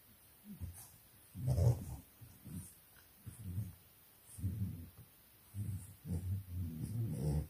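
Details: English Bulldog puppies playing in their pen at 4 am in Nairobi, Kenya: low rumbling growls in repeated bursts about a second long, separated by short quiet gaps, with soft breathy snorts between.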